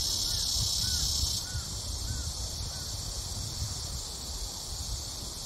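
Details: Cicadas in summer as the heat begins, a steady high hissing drone that is loudest for the first second and a half, then softer, with a few faint short rising calls of another animal and low rumbling background noise.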